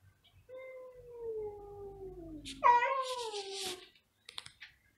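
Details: Two cats meowing very loudly: a soft, long, slowly falling meow, then a sudden louder rising-then-falling yowl, followed by faint clicks and tapping.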